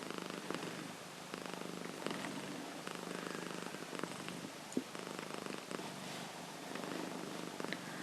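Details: Sleeping Himalayan cat named Nova snoring indoors: a continuous low buzzy rattle of rapid pulses, rising and falling gently, broken by light sharp clicks and rustling.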